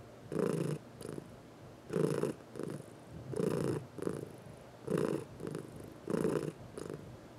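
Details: Pet cat purring during a massage, one of four household cats; deep pulsing purr in strong bursts about once a second, regular breathing rhythm with softer inhale phases between the louder strokes.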